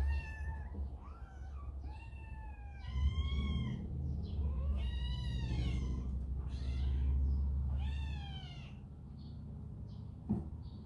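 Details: Baby cat in a big household cat family, having been scolded by an older brother and turning to its mother, gives a run of about six rising-then-falling meows, some drawn out and wavering, with low rumbling room noise underneath.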